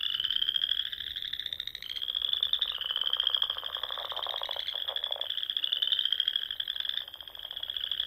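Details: Spring frog chorus from ponds in the Sandhills of Nebraska at dusk: a steady shrill trill from many frogs layered together, with a burst of lower rapid pulsed croaking near the middle.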